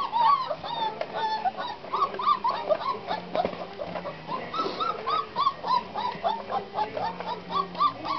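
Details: Litter of 26-day-old Black Russian Terrier puppies, seven males and three females, born 23 July 2013 to Ch. Silver iz Veselykh Tuchek and Ariadna Jemchujina u Morja. Many short, high, tonal squeaks and whines overlap in a rapid, uneven chorus.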